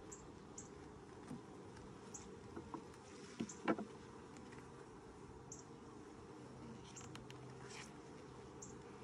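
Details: Honey bees buzzing inside a hive during its first inspection, six days after nucs were installed in 2020; an even low hum with a faint steady tone underneath, soft ticks repeating high above and a brief rattle of handling midway.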